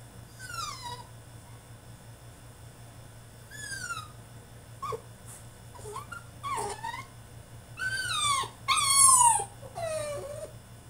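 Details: Male French Bulldog throwing a tantrum in his cage: a run of high, falling whines and yelps, some short and some drawn out, growing louder and more piercing toward the end, with a steady low hum behind.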